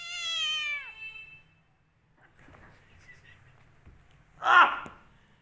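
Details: Domestic cat angry at its owner during a scuffle, opening with a loud falling meow, followed by quiet rustling and a sharp noisy burst near the end.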